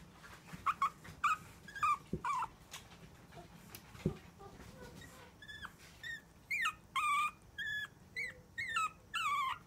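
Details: Long-haired Chihuahua puppy, a female born 14 June 2018, giving a series of short high whining yelps with rising and falling pitch, repeated about every half second in the second half, after softer scattered sounds and a few knocks.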